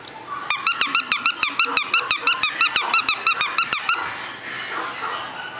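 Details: A male, flat-nosed, affectionate Shih Tzu (Canis lupus familiaris) gives a quick run of high, squeaky whining yips, about four each second.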